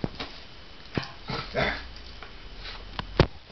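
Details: Basenji indoors in a small room, worked up and excited over pizza; a short breathy, whine-like vocal burst comes mid-clip among sharp clicks and knocks, with a person's voice close by.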